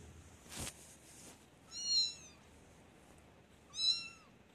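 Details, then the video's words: Baby kitten meowing while walking indoors: a faint tap, then two short high meows about two seconds apart, each rising then falling, thin and clear over quiet background hiss. "Baby Kitten Meowing and Walking"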